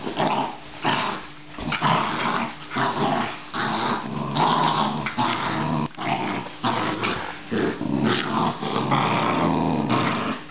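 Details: Australian Terrier producing a long run of continuous, rasping growls that rise and fall in short surges, barely pausing across roughly ten seconds.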